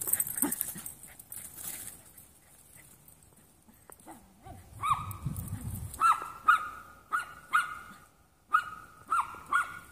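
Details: Play among three young Jack Russell mixes: a quiet stretch of shuffling and a low grumble gives way to a rhythmic series of shrill, arching yips about twice a second through the second half.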